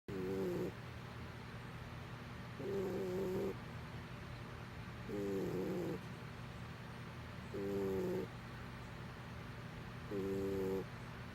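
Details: Domestic cat snoring while asleep, each breath a short nasal drone with stacked harmonics lasting under a second, repeating about every two and a half seconds, with a steady low hum underneath.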